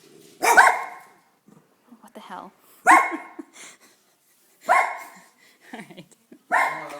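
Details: Dachshund giving single loud barks, four in all, spaced roughly two seconds apart, with a man speaking quietly in the gaps.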